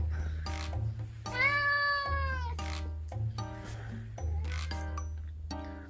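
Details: Hungry rescued red tabby cat at home, demanding food; one long, arched meow of about a second with rich harmonics stands out, followed by shorter calls, over looping background music and a man's voice.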